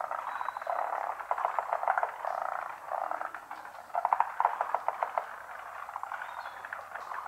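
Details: Many frogs in a pond chorus together, hidden from view: overlapping rattling croaks form a steady pulsing wall of sound, swelling into a louder stretch of quick clicking trills around four seconds, then easing.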